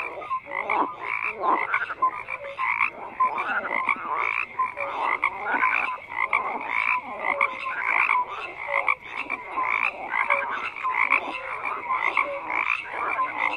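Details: A crowded chorus of croaking frogs, with raspy pulsed croaks rising and falling in waves roughly every second and scattered short tonal peeps beneath, continuing without pause.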